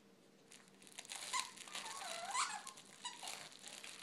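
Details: Eight-month-old pet Boston terrier whining because he isn't getting any attention, indoors: short, high squeaky whines that dip and rise in pitch, separated by breathy, noisy snuffling.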